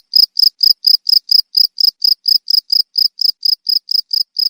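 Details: Cricket song used as a rat repellent: rapid, regular, piercing chirps, around four a second, each a brief buzzy burst, slightly softer here, with a quiet background.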